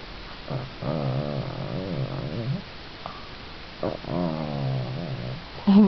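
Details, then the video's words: A small pet dog crying on cue as a trick, giving two long, low, wavering moaning howls of about a second and a half each, separated by a pause, with a brief higher yelp at the end. "My Dog Gismo Crying!!"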